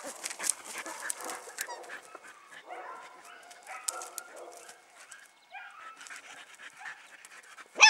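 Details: Puppies in Paquera with quick breathy panting and scuffling, a few sharp yips, and a squeal at the very end, while a person speaks Spanish in the background.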